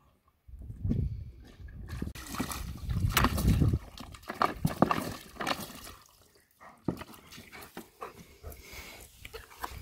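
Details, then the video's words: Evo, a German Shepherd, at water time: quick wet lapping strokes, about four per second and unevenly spaced, with low breathy panting sounds between them and a short quiet gap near the seventh second. "Time for Water - Evo the German Shepherd"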